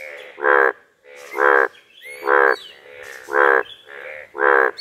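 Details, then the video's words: Pond frog in a rural village setting giving a steady series of six rich, buzzy croaks at about one per second, each short and even, with quieter background noises between the calls. "Frog makes sound in aesthetic nature."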